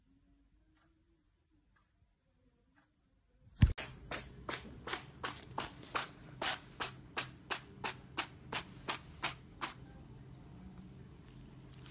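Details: Near silence with a faint low hum gives way to a loud thump, then a run of sharp, evenly spaced taps about every half second, fading into a soft rustle.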